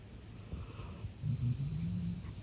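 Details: Golden Retriever, a large male dog, snoring while sleeping deeply and relaxed indoors; low rumbling snore rising in loudness midway, with a rough throaty rattle through the second half.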